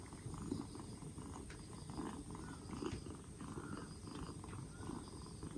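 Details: Two-month-old black Bombay kitten, rescued four days earlier and getting over a cold, gives a continuous deep purr, even and low, with soft rustling above it.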